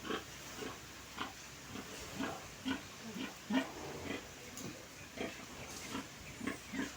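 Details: Sow scrubbed with soap, restless and searching for her piglets weaned that morning: a long run of soft, quick grunts scattered throughout, fainter and less regular, with some scrubbing noise.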